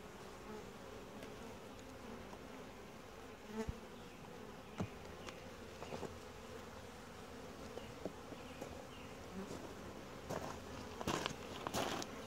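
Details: Honey bees during a routine hive inspection, the colony calm and quiet; a continuous low buzzing drone under frequent clicks, knocks and scraping handling noises that grow louder toward the end.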